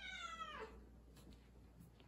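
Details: House cat asking its owner to accompany it to the litter box: a single descending meow fading out, followed by quiet room hum.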